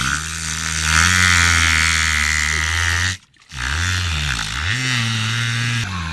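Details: A wild killer whale named Luna, sociable with humans, imitates a boat engine underwater with a low, droning, motor-like hum that wavers in pitch, apparently trying to communicate.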